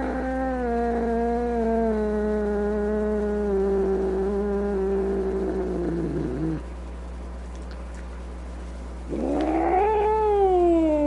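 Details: Angry cat giving a long, loud, drawn-out moaning yowl that slowly falls in pitch for about six seconds, then after a short pause rises again into a wavering snarling wail; steady low hum underneath.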